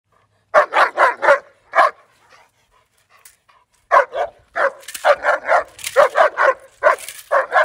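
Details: German Shepherd in his first day of bite work training, barking in quick bursts of three to four sharp barks, then a pause and a longer run of rapid repeated barks, with faint scuffling between.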